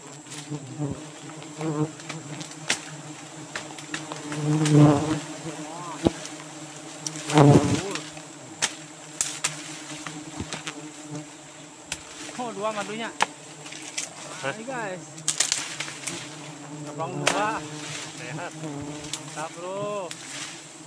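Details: Giant honey bee (Apis dorsata) colony at its nest in Borneo in the rainy season, steady low humming buzz with wavering harmonics, occasional louder surges and sharp knocks, brief human voice in places.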